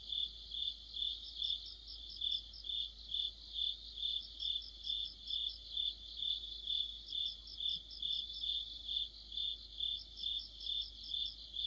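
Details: Cricket-led insect chorus in the heart of autumn: sustained rhythmic chirping, around two pulses per second, with bursts of higher overlapping trills from other singers and a soft steady background hum.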